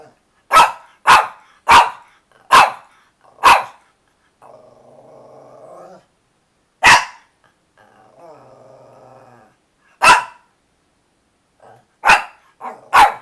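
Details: Eager for her filet mignon flavored chewy treats, the dog Chloe lets out a fast run of five barks, two drawn-out throaty growls between single barks, and a final cluster of barks.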